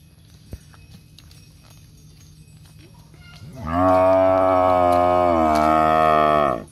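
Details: A cow in a row of cows wanting to be photographed gives a long, deep, resonant moo. It starts after a few quiet seconds and holds steady for about three seconds before ending abruptly.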